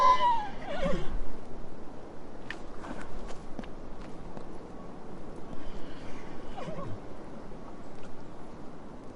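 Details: A brief descending horse whinny opens the recording and fades within a second. After it come scattered sharp clicks and knocks, with low rumbling noise throughout.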